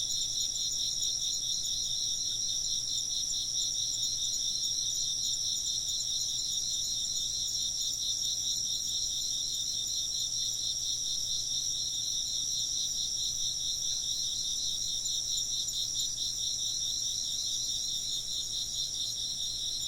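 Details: A long stretch of steady insect chirping, shrill and rapidly pulsed, several overlapping trills forming a constant high shimmer with no pauses.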